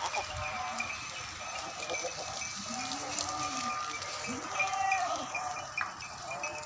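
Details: Pure Beetal goats on a farm at Bhasaur, Dhuri tehsil, Sangrur district, Punjab, India: a few soft, low, rising-and-falling bleats amid steady farm background noise with faint clatter and distant voices.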